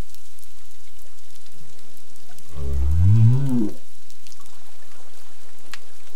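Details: A southern right whale off Augusta, South West Australia, recorded during a whale acoustic-behaviour study, gives one low, rising, moan-like call lasting about a second.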